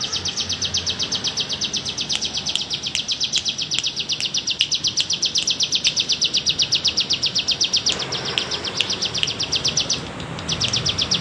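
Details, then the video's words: Steady, pulsing drone of a bren cigun cicada in wavy bergelombang style, meant for teaching songbirds: a near-continuous rattle of regular buzzy pulses running about eight seconds, a short break, then resuming. "masteran BREN CIGUN bergelombang"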